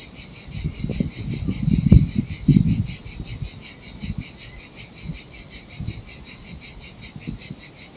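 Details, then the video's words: Seaside cicadas in Sardinia's summer heat keep up a pulsing, shrill drone as turquoise waves break and splash loudly on a desolate beach, strongest around the second and third seconds. "Ocean Waves & Cicada Sounds"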